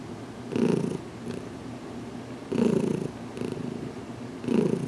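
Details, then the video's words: Content purring from Heidi, a recently adopted cat, being massaged on the head inside a closet; deep even rumble with three stronger surges spaced about two seconds apart. "Heidi's First Massage Video"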